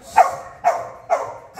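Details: Five-month-old Belgian Malinois guard dog filmed before being released, giving sharp, loud barks repeated roughly every half second, four in quick succession.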